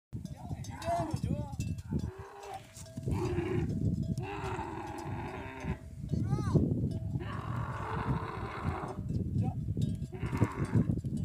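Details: Male and female camel quarrelling: deep, rumbling bellows and gurgling groans in long bursts, with sharp rising squeals between, and people talking nearby.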